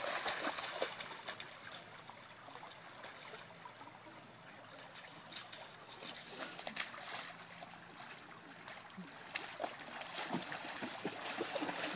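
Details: A creek trickles and splashes steadily, with scattered splashes of dogs moving through the water and no calls or barks.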